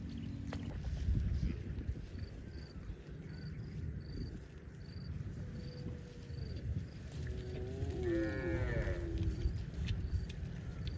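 A cow gives a short, rich moo that bends in pitch, against steady low wind rumble.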